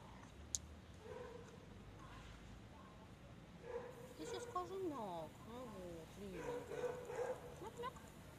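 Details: Pet cat making funny noises while begging for more chicken. Several short, bent, trilled meows and chirps, rising and falling in mid pitch, come in a cluster after the midpoint. A person talks softly over and around them.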